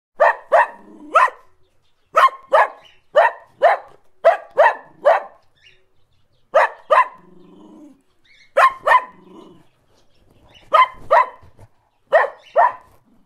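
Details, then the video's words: A single dog barking close by, loud sharp barks in clusters of two to four, separated by short pauses, with a low grumbling growl between some bursts and otherwise quiet background. "Dog Barking Close Sound Effect"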